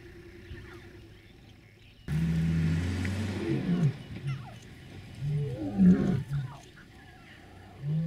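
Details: Male lion near mothers and three- to four-week-old cubs in Maasai Mara, Kenya, 2014. A deep, loud, moaning roar starts after two seconds of quiet, then fades into lower grunts, with faint bird chirps in the background.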